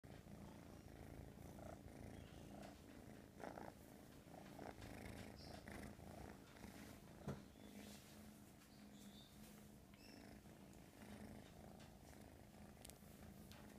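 A young American Shorthair cat purrs without pause, a deep, even rumble that rises and falls softly with each breath. Small rustles and soft handling noises come through close by.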